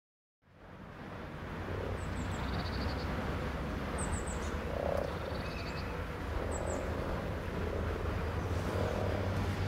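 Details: Common frog chorus of low, rolling pulsed croaks under steady background noise, with short high bird chirps repeated every couple of seconds.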